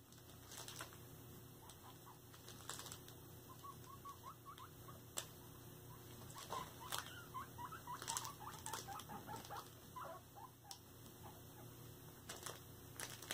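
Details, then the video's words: Pet guinea pigs during floor time: a busy run of short, soft, rising squeaky notes, loosest at first, then clustering densely through the middle, over scattered patter and rustling of feet and bedding with occasional sharp clicks. "My Guinea Pigs' WHEEKly vlog"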